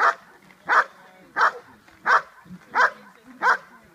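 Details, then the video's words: Che, a dog in Schutzhund 1 protection training, performing the hold and bark: six strong, evenly spaced barks roughly every 0.7 seconds, each a short harsh burst, with quiet gaps between. "Schutzhund 1. Hold and Bark."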